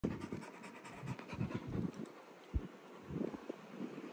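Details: A pit bull panting steadily, with rapid, rhythmic low breaths repeated over a few seconds and no other clear sounds.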